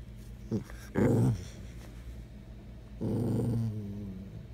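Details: Bella, a rescued shelter dog craving affection, grumbles indoors: a short yip, then a throaty growling moan, a pause, and a longer low drawn-out grumble that trails off, with faint room hum.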